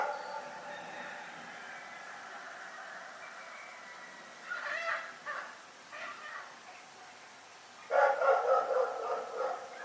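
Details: Rex, a dog in Pyrga, barking in the night. Quiet at first, then scattered short barks, ending with a loud rapid flurry of yapping barks.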